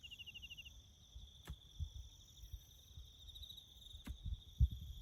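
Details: High, evenly pulsed cricket chirping with a fainter upper band runs on through bush sounds, over soft low thuds and a sharp knock near the end from farm road building.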